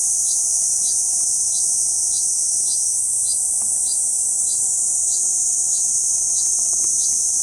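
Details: Kuroiwa cicada, central Okinawa Island, Japan, June 2023, singing while perched on a banyan trunk: a continuous sizzling high whine without pauses, plus regular faint chirps about four per second and an occasional soft click.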